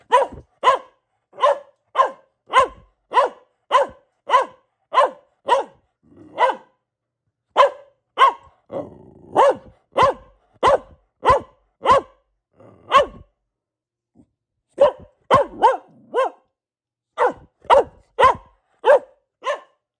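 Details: Pet Boxer, a female, barking persistently indoors: a long series of sharp, evenly spaced barks, nearly two per second, broken by a short low rumbling pause midway, then resuming in rapid bursts.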